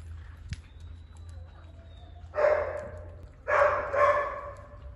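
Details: Golden retriever puppies: after a faint thin high whine, two short harsh yelping barks, the second longer and doubled, over a low background hum.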